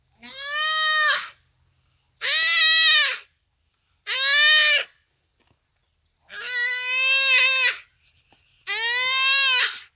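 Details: Common duiker crying for help in its dying moments as a cheetah kills it, on a rainy afternoon at Phinda Private Game Reserve: five loud, harmonic, bleating wails, each about a second long, separated by short silences.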